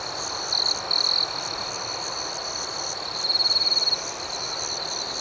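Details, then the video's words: Crickets at night in a serene outdoor setting, gentle rhythmic chirping: a steady high-pitched trill runs throughout, with two louder short chirp bursts near the start and a longer rapidly pulsed burst later on. "Soothing Cricket Sounds"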